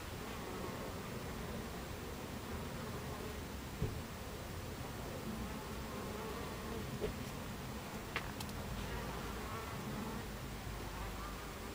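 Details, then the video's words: Buckfast bee colony at the hive entrance, 26 July 2013, mid-afternoon: constant deep humming of many bees, broken by a few sharp ticks around the fourth, seventh and eighth seconds. "Beehive Entrance Buckfast Bees"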